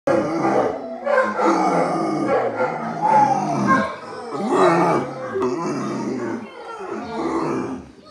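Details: Bracco italiano howling, a wavering series of drawn-out tonal cries with rich harmonics, rising and falling in pitch, several overlapping voices, pausing briefly near the four-second mark before resuming.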